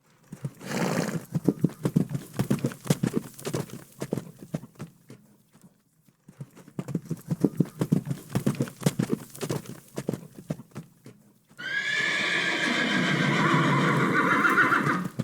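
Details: Farm horses: irregular clip-clop of hooves for about ten seconds with a short pause midway, then a loud, sustained harmonic whinny lasting roughly four seconds closes the recording.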